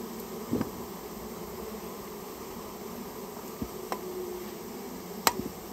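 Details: Japanese honey bee colony in a storehouse during removal work: a continuous low hum of many bees, broken by a few sharp knocks and clicks from the handling.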